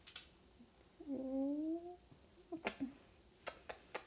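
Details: Pet dog Bruno playing in the house gives one drawn-out, slightly rising whine lasting about a second, followed by scattered sharp clicks and taps on a quiet indoor background.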